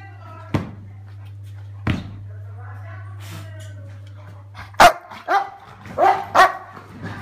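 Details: American bulldog, female, excited as her owner comes home after two days away. Sharp, short barks at about 0.6 and 1.9 seconds, then a quicker burst of four or five barks later on, over a steady low electrical hum.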